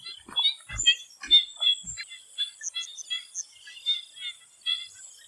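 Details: Swamp frogs calling before sunset in Thailand: a busy chorus of short, pulsed, rattling notes overlapping from several callers, with a steady high insect-like hiss above and a few soft low thumps in the first two seconds.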